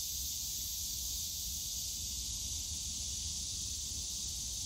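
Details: Cicadas on a summer day in the bamboo grove of Yongsan Family Park, Seoul: a continuous, even, high-pitched hissing drone with no breaks, over a faint low rumble of park noise.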